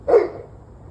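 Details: One short, abrupt bark from a dog, cut off quickly, against a faint low hum; recorded the evening of 21 November 2023, 7:06 pm.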